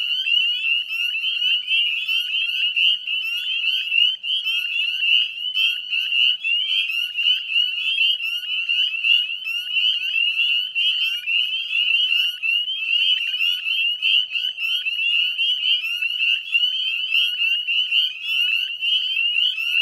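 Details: Dusk chorus of northern spring peepers beside the Chezzetcook salt marsh wetlands, Nova Scotia, 18 May 2020; countless piercing upslurred peeps overlap into an unbroken ringing wall of sound.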